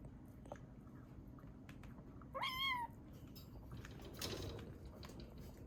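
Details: Ame, a rescued kitten estimated 3 to 7 weeks old, from a collection of sweet, sleepy and hungry calls; a single loud, bright meow that climbs then slides down, followed by a soft rustle.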